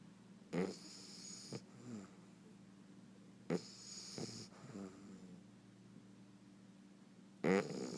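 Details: Sleeping bulldog puppy snoring loudly: harsh rasping snores at roughly half a second, three and a half and seven and a half seconds, with softer snuffling breaths between, over a steady low hum.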